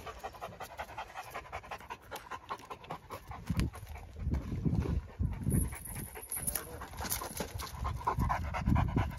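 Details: Great Dane panting during a training session: quick, breathy, uneven puffs of air, about three to four per second, growing louder toward the end, over a steady high background hiss.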